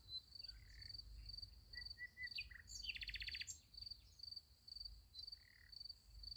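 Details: High, ringing cricket chirps pulse steadily through a night beside a sunflower field, broken by a short loud rattling trill near the middle and scattered faint higher notes, with low background rumble.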